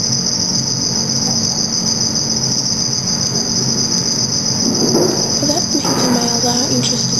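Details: Black field cricket (Teleogryllus oceanicus) at night under red light keeps up a constant, shrill, high-pitched trill, the mating song advertising to a female, amid small and large males; low rumble and faint whispered discussion beneath near the end.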